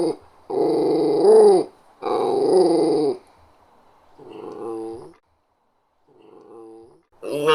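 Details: Growling from a small West Highland White Terrier: two loud, rough growls over a second long each, followed by two softer, shorter rumbles and the start of another loud growl.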